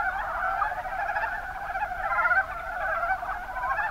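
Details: Rana ornativentris, the mountain brown frog, heard in Kumamoto's Kuma Basin, Japan, as a continuous low chattering chorus of many pulsed croaks without pause.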